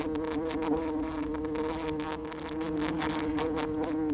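A bumblebee hums with a steady, low, droning buzz that holds one pitch throughout.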